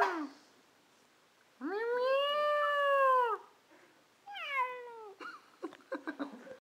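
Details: Indoor cat meowing back at its owner: a long arched meow rising then falling over nearly two seconds, a shorter falling meow, then a burst of soft clicks and rustles.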